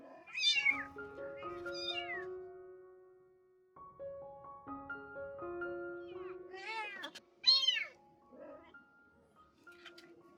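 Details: Domestic cat, a rescued mother cat with her kittens around her spay surgery: a pair of bright, arching meows at the start, then a gap, then two more sharp meows later on. Steady piano-like music plays throughout.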